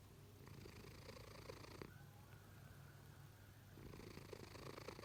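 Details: Pet cat snoring while asleep, loud enough to wake someone nearby; a rough, purring rasp of an inhaled breath, a pause, then the next breath starting, in a quiet room.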